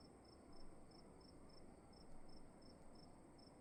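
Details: Crickets in a quiet room: short, high chirps repeated about three times a second in a steady rhythm over a soft low rumble and a faint constant high whine.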